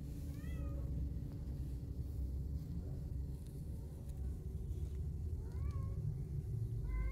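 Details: Fawn kitten wanting to go out with its mother cat gives two or three thin, rising-then-falling meows, spaced several seconds apart, above a constant low engine-like rumble.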